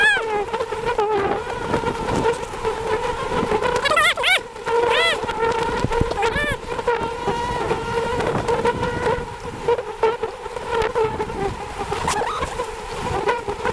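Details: Wild honey bees at a very large hive high in a forest tree during a honey harvest. A dense, steady droning hum wavers in tone throughout, overlaid by crackling handling noises and sharp whooshing sweeps.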